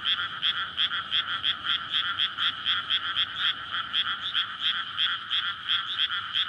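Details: Frogs in courtship chorus on a May night in a flooded paddy field surrounded by residential streets; a dense, even stream of bright, rhythmic croaking pulses, several each second, with no other clear sounds.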